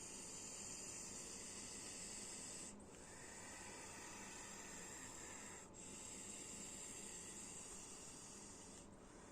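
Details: Up-close hissing of a snake: drawn-out exhaled hisses, each roughly three seconds long, parted by brief silent gaps, the sound slightly softer in the middle stretch.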